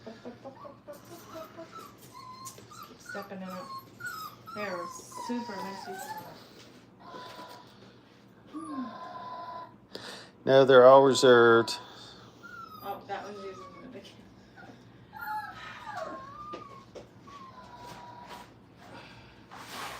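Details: Crate-training Brittany pups aged five weeks in a kennel: a long run of high, falling whines and choppy yelps from several puppies, peaking midway in one loud, sustained wavering cry, then thinner whimpers again.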